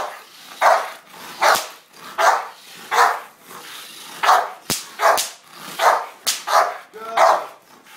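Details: American Bulldog giving repeated loud, gruff barks, roughly one per second, with a sharp click or snap heard midway through the series.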